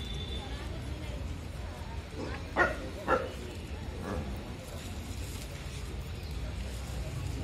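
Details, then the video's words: Street dogs barking at another street dog: two or three short, sharp barks close together midway through, over steady traffic-like background noise and faint voices. "Dogs barking to other Street dog"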